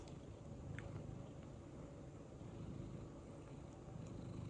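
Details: Happy pet cat, a male, purring while doing head tilts indoors: a soft, steady, low rumbling purr throughout, with faint background hiss.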